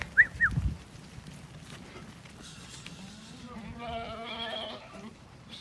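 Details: Ardi goat giving one quavering, drawn-out bleat lasting over a second, after a few sharp high chirps and low knocks at the start, over a low rumbling background.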